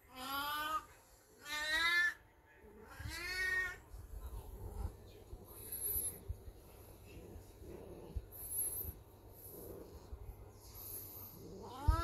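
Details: Aged black cat Beni-chan calling in heat at home, a Golden Retriever watching: three loud, drawn-out wailing meows in quick succession at the start, then quieter room noise with faint shuffling and a brief final cry.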